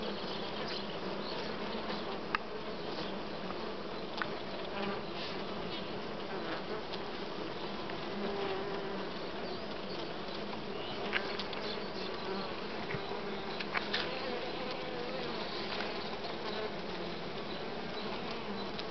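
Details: Western honey bees (Apis mellifera) fill the air with a dense, steady hive hum of overlapping buzzing wings, at comb holding uncapped brood of bee larvae of various sizes.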